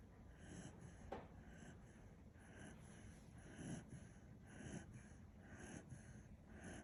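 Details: Kishu dog named Kinchan, sound asleep and snoring indoors: soft, breathy low snores about once a second, each a brief airy puff in a quiet room.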